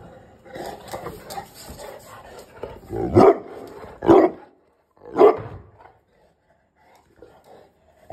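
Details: Angry bullmastiff giving three deep, heavy barks spaced about a second apart, preceded by softer muffled voices and background noise, then quiet.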